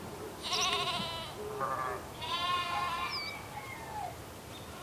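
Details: On a farm in the morning, sheep (Ovis aries) bleat in wavering, nasal calls, one after another, with a faint whistle behind.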